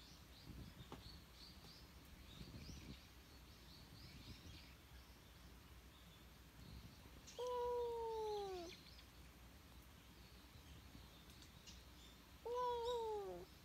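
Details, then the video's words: Stray cat that appears to be asking for something lets out two separate meows, each dropping in pitch toward the end, spaced about five seconds apart; faint bird twittering fills the quiet background. "今日の野良猫くんは ・・ 何かを訴える！？？"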